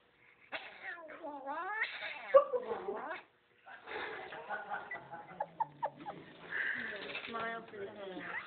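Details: Cat resisting being combed out at a groomer gives long wavering yowls that swoop up and down with rich harmonics, breaking into shorter tense cries later, while people talk over it indoors.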